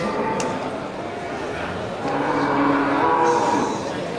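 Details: Local bulls ready for slaughter at the busy Geulumpang Payong livestock market on 8 May 2021. A drawn-out, low, steady moo rises above the crowd, with people talking and general market bustle throughout.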